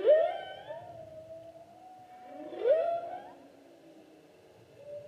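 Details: Humpback whale singing in the 2016 season, a long sustained tonal moan bracketed by two bright rising whoops with rich harmonics, soft low underwater rumble beneath.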